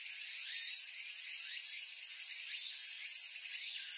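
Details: Cicada song recorded in Japan: a dense, continuous high-pitched buzzing hiss that holds steady in loudness for the whole stretch, with faint fainter rasping streaks underneath and no other clear sounds.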